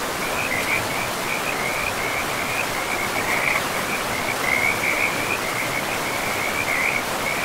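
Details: Frogs calling beside a river deep in a pristine, moss-covered forest: an almost unbroken run of short, rapidly pulsed croaks at one steady pitch, layered over the constant hiss and rush of flowing water.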